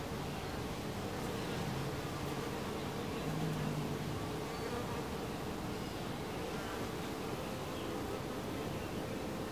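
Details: Honey bees at the entrance of a beehive, a dense, steady low hum of many wingbeats that holds throughout, with a droning tone and broad rushing noise.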